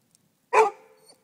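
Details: A single deep, full bark from Jeta, a Rhodesian Ridgeback, alerting to a cat she senses nearby; one sharp, rich burst with a quick tapering tail, in otherwise near silence.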